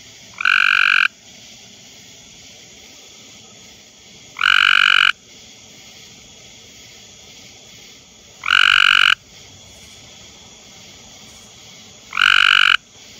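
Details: A male Cope's gray tree frog (Hyla chrysoscelis) calls in a backyard on a humid, muggy night, giving harsh, buzzy trills under a second long, repeating about every four seconds over a quiet background.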